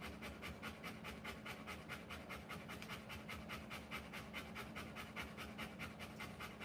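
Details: Rottweiler mother panting while giving birth to puppies, rapid rhythmic breaths about two and a half per second, steady and fairly even, with a low hum underneath.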